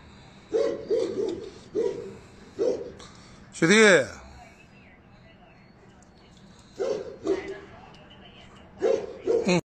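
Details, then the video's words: Tibetan Mastiff barking in short bursts, with a loud drawn-out harmonic yelp or whine near the middle; a person speaks Chinese in the background, urging the dogs to play. "doggy tibetan mastiff"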